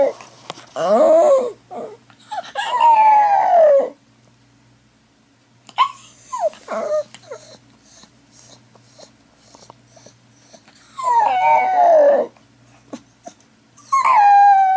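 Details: A pet dog howls while its owner's sister is away, long wavering tones sliding downward in several bouts with pauses between, a person speaking softly to calm it in the gaps.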